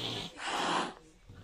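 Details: A domestic cat gives a short, breathy hiss, a broad noisy rush of air lasting under a second, with a faint snort-like onset. The hiss expresses fear, a warning to back off or the cat will attack.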